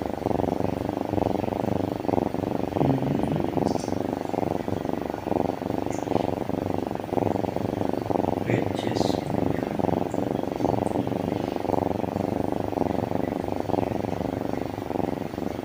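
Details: Kitten; purr; contentment, showing the kitten is happy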